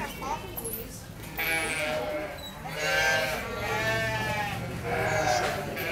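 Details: Lambs bleat in wavering, tremulous cries that sound strikingly like human babies crying, as heard at night on a ranch.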